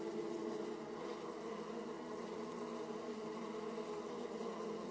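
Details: Honey bees crowding the flight holes of Austrian wide-comb hives on a 18°C day, 31 March 2014, captured with a Mobius FPV camera. Steady humming mass of wingbeats, low droning tone with bright harmonic bands.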